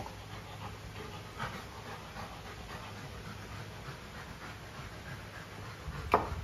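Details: A pet Golden Retriever named Luna, with her new carabao horn chew, pants in soft regular breaths, ending in a sudden sharp knock, against a continuous low background hum.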